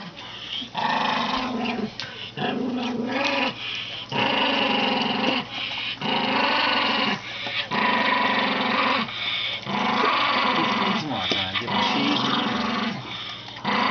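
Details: Old, senile Toy Poodle growling indoors: rough, buzzy growls in bursts of about a second, separated by brief pauses and repeated steadily through the recording, with a low hum beneath.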